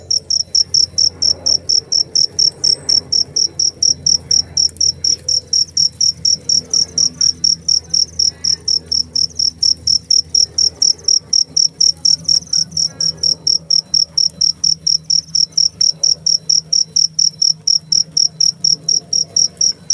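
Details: Continuous cricket song of sharp, high-pitched chirps at a steady rhythm of roughly two per second, loud and even throughout, with only a quiet low background murmur.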